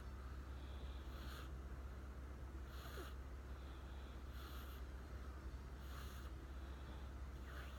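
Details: Riku, a young American Shorthair cat newly joined to a family, fallen asleep sitting beside a person and snoring; soft breathy snore bursts return about every one and a half seconds over a steady low indoor hum.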